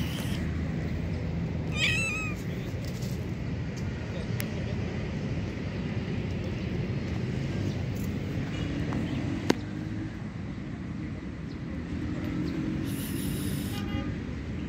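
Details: Homeless black kitten, a stray needing food, gives one short wavering meow early on, rising then falling. It is set against a steady low engine-like rumble with a few sharp clicks and knocks.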